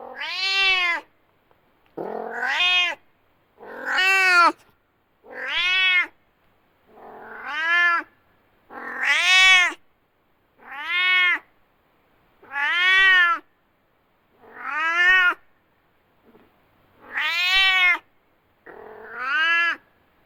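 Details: Domestic cat, described as angry, meowing loudly: about eleven separate arched, harmonic meows, each under a second long, repeated roughly every two seconds with short silences between.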